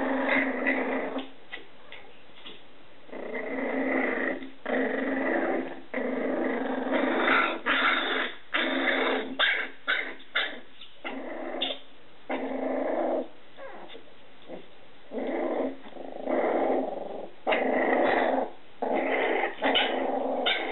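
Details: Scottish Terrier puppies of Etna's litter playing indoors: bursts of low rumbling growls a second or two long, broken by short pauses and occasional sharp yips, continuing for about twenty seconds.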